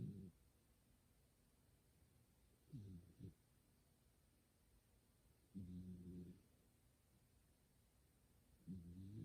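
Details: Domestic cat named Kumatan sleeping soundly indoors beside a person playing games, giving human-like snores: low, harmonic rasping bursts about every three seconds, separated by quiet pauses, with a faint room hum.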